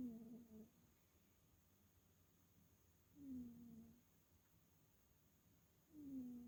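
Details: Sleeping house cat Chloe, recorded October 22, 2022, gives three soft, whistled snores that slide slightly downward, spaced about three seconds apart, with quiet breathing in between and low room hum behind.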